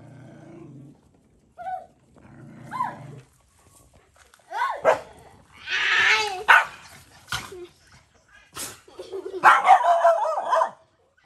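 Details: Stray mother dog on a farm in Cambodia, guarding her puppy as food is given: sharp barks and rough growling bursts at irregular intervals, mixed with speech and handling noises.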